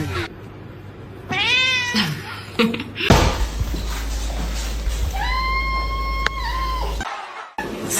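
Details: Domestic cat in a funny pet compilation giving a rising then falling meow early on and a long, steady, drawn-out meow later, with background music, a low hum and a sharp click.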